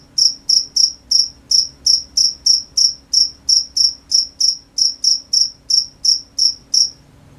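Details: Cricket chirping at night: evenly spaced shrill high notes, around three per second, with faint overtones; the chirping stops just before the end, leaving quiet.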